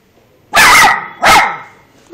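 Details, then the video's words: Female Miniature Schnauzer barking on command indoors: two sharp, loud barks about two thirds of a second apart, each bright and harmonic, the second slightly shorter, following a spoken Italian prompt. "schnauzer nano napoli abbaio a comando: 2+1"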